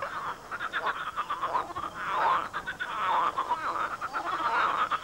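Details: A swamp chorus of big frogs, croaking loudly in what may be their mating season: continuous overlapping rattled croaks rising and falling in waves, with no quiet gaps across the recording.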